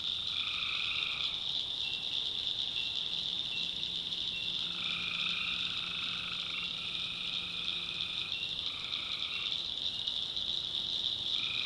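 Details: Tree frogs calling at night in a swamp in the backwoods of North Carolina: tonal, buzzy bursts about a second long, repeated every two to three seconds, over a steady, shrill, high-pitched night chorus.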